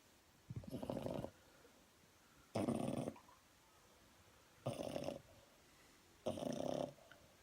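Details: French Bulldog snoring: four rough, rattling breaths about two seconds apart, each a broad noisy burst lasting half a second, with quiet pauses between.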